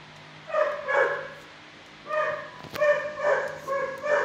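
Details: Six-year-old dog in a shelter kennel barking at an approaching person; softer, tonal yipping barks in pairs, then a run of four short barks after a sharp clatter.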